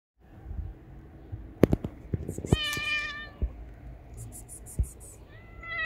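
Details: Stray mother cat with three kittens of different colours; one loud, drawn-out harmonic meow falling slightly in pitch, a fainter rising meow near the end, and scattered clicks and knocks around it.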